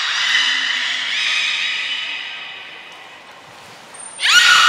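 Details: Belugas Gray, Nana and Mirai at Port of Nagoya Public Aquarium, 6 August 2023, during training: a loud, drawn-out harmonic squeal lasting over two seconds and slowly fading, a sharp high whistle, then a sudden bright upsweeping call.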